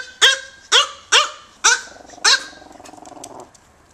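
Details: Five quick shrill yaps from micro teacup poodles Mokona and Momoko, American-bred AKC dogs now in Hong Kong, followed by a low, buzzy growl-like rumble that fades out.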